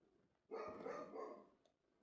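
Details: Dog indoors giving a single drawn-out bark or howl-like yelp lasting about one second, broad and harmonic, in a small quiet room.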